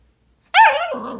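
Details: Single playful bark from a Dalmatian puppy chasing its own tail, starting high and sharp with a wavering tone, then trailing into a lower, rasping growl.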